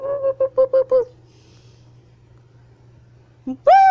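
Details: A siamang swinging and hanging on a wire gives a quick run of five loud, harmonic barking hoots and whoops, then a sharp rising cry.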